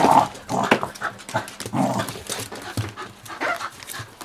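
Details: Smooth fox terriers, two years and five months old, at play indoors with a 7.5-year-old pit bull; mixed growls and short sharp yips in quick irregular bursts, with scuffling.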